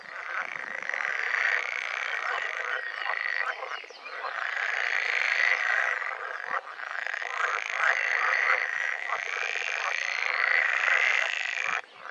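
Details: Pool frogs calling during the breeding season: a dense chorus of rapid, rattling, quacking croaks overlapping continuously, with brief dips in loudness and louder surges of several males calling together.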